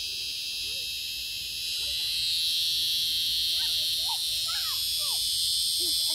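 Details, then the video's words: Cicada screaming nearby, a continuous piercing high-pitched buzz that swells louder after about two seconds, while faint short chirps of another caller sound softly underneath. "Found a screaming Locus Cicada"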